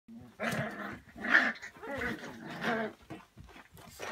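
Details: Lagotto Romagnolo dogs, Alfredo and Ambra, give a series of throaty, moaning growls in quick bursts, recorded on 7 February 2017.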